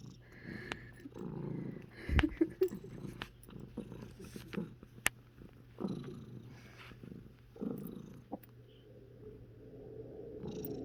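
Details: Kiki, a cat with hiccups, gives a big hiccup set off by a plane passing overhead. Short, abrupt jolting sounds recur irregularly. The strongest burst comes about two seconds in, with softer low rumbling between.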